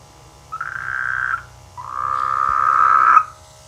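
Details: Two drawn-out buzzy frog croaks from rainy-season rice fields near a village, the second longer and louder, rising slightly in strength before stopping abruptly, with a faint low hum beneath.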